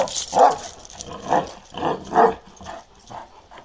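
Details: Balyoz, a male Kangal dog of 15 months with a dark grizzled karakırçıl coat, gives a run of loud, resonant barks that grow softer and shorter toward the end.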